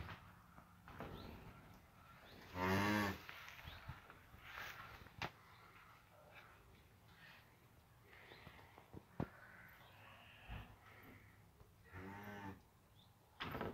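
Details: Cattle on a farm with a newborn calf just born and standing for the first time; one brief, rich moo near the third second and a fainter one near the end, amid quiet rustling and scattered knocks.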